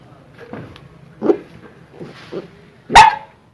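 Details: Aggressive dog growling and barking: a low rumbling growl with a few grumbling huffs, ending in one loud sharp bark.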